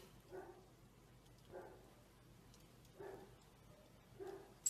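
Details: Golden Retriever puppy at bath time gives four short, faint barks, evenly spaced about every 1.3 seconds, over a quiet background.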